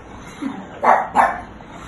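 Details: Angry pug in India, searching for a cat after hearing the word 'Meao', gives two sharp, loud barks about a third of a second apart over a low background hum.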